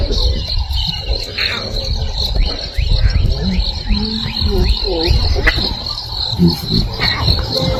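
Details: Lion cubs of a pride in Sabi Sands, South Africa, morning, calling for their mother as adult females return: several short low mewing calls and chirps, with steady insect buzzing and rustling in the background.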